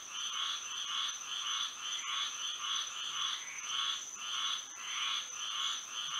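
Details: Nighttime frog chorus in Florida by moonlight: bursts of raspy croaks recur about every half second in overlapping waves, over a constant thin high-pitched drone.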